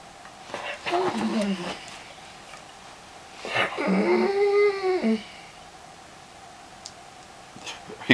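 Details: ["Weimaraner in the morning, trying to get its owner out of bed: a drawn-out, moaning howl that bends downward, with a person's sleepy voice and complaints nearby."]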